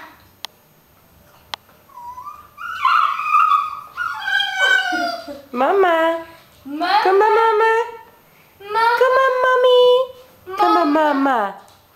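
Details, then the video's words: Domestic dog vocalising indoors as if talking, producing a series of six short, yodelling, whine-like howls. Each howl swoops and wavers in pitch, with brief pauses between them. "talking dogs"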